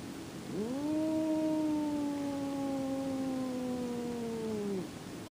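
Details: Jack, a house cat objecting to Boots entering his favorite room, lets out a single sustained moaning growl-yowl of about four seconds, steady then gently sliding downward, with strong harmonics over a quiet background.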